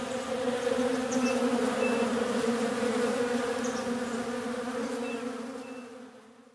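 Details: Bees in a textbook listening exercise, a steady droning buzz with bands near 250 and 500, sustained throughout and fading toward the end, with faint short high tones scattered above.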